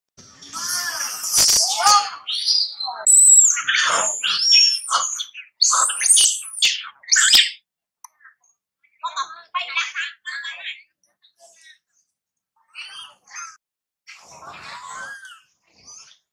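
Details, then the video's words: Baby monkey crying while playing: a run of loud, high, tonal squeals with stacked harmonics fills the first seven seconds, then fainter, broken chirping cries follow after short pauses. "Baby Monkey Cute playing and crying"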